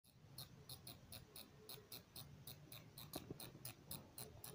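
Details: A bat inside a house in Simri, Buxar gives sharp, high, thin chirps and clicks in a steady string, about three a second, over a low indoor hum with a few faint knocks.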